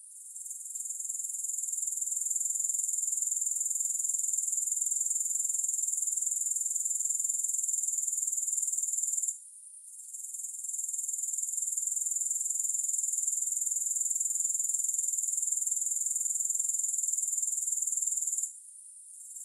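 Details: A continuous, shrill grasshopper buzz runs for roughly nine seconds at a time, broken by short pauses, the high sizzling tone steady and even throughout, with nothing else audible.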